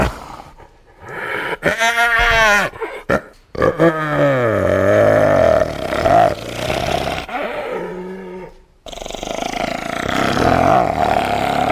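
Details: Hyena giving loud, wavering calls. A bending harmonic wail slides downward, followed by sustained raspy cries and a rougher continuous section near the end.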